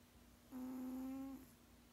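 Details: One drawn-out, evenly pitched hum from a snoozing 16-year-old male cat, a snore that sounds more like humming, lasting under a second in a quiet setting.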